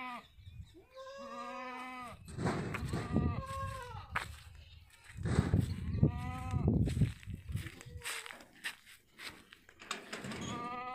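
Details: Sirohi goats at a farm in Ajmer, Rajasthan, bleating again and again. Some bleats are steady, others bend and fall in pitch. Loud thuds and handling noises break in between the calls.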